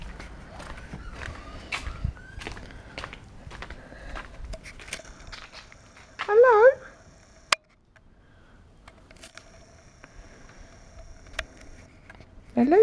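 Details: Morning puppies heard in quiet surroundings: one loud wavering, whining cry midway through, scattered light clicks and taps, then another rising whine starting right at the end.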